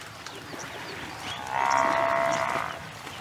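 A wisent gives a single drawn-out, nasal lowing call of about a second, steady in pitch with a rough tone, over a quiet background.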